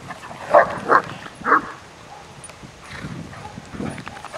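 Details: Irish Wolfhound females, four playing together on a morning walk; three loud short barks at about half-second intervals near the start, then quieter low vocal sounds and faint background noise.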